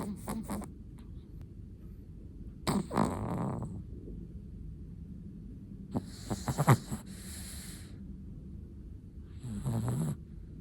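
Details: Irregular snuffling snores from a sleeping Chihuahua: short snorts, a longer rattling breath, a cluster of clicky nasal sputters, then a final soft snore. Quiet room tone fills the gaps.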